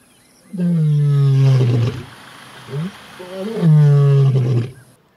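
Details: Lions roar close to camp in the early hours around sunrise, with two males on the move, giving two long, deep moaning roars with a short grunt between, low and falling in pitch.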